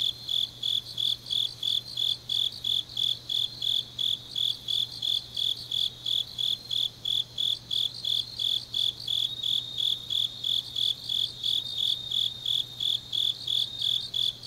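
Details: Autumn grass insects on a deep night in Changnyeong, Gyeongnam, South Korea: a high, bright chirping pulse near 4k repeated about three times per second, steady and unbroken, with a faint low hum beneath.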